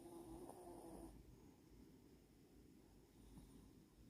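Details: Latte, a pet puppy, snoring while asleep: a steady low, rough rumble of breath that continues unbroken through the recording, slightly louder in the first second, with a faint brief high tone near the start and no other clear sounds.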